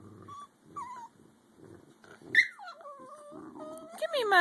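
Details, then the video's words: American Eskimo Dogs, a five-month-old puppy and an adult, squabbling indoors over a bone the puppy wants: low rumbling growls, then rising and falling whiny yodel-like vocalizations ending in a sharp snap, with a person's voice nearby. "Eskie dogs talking about a bone!"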